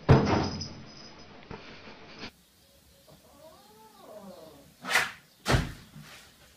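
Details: A cat gives a single soft, arched meow that rises and falls, preceded by a clattering noise and followed by two sharp knocks like a cupboard door closing.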